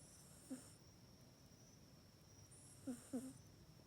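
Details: Pet cat Mac snoring while asleep in its cat bed, which it uses only at night, filmed on an iPhone 8. Two soft, breathy snores, each a low nasal rasp with an airy hiss, about two and a half seconds apart in a quiet room.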